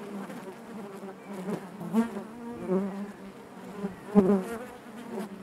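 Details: Hive interior full of honey bees producing a natural buzzing drone, low and humming, punctuated by short louder swells as individual bees pass near, plus faint knocking sounds.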